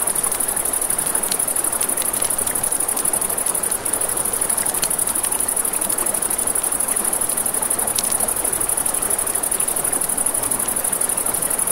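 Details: Crickets keep up a steady, high, shimmering trill at night over a crackling campfire and a rushing river.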